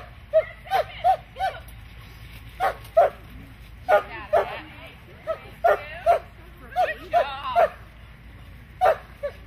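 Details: Standard Poodle herding sheep, giving short, sharp, high yips and barks in quick clusters of two or three, about twenty in all, with gaps of quiet between bursts.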